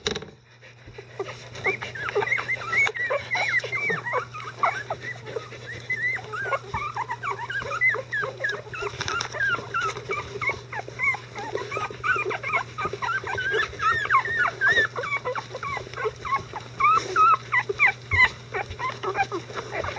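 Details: Litter of 11-day-old Icelandic Sheepdog puppies, mobile and vocal, with their mother Gaela cleaning up; dense overlapping high whimpers and squeaks run continuously with a steady low hum underneath.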